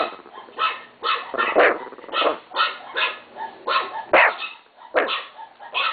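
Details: A Chihuahua (Canis familiaris) barks in quick, sharp, high yaps, roughly two every second.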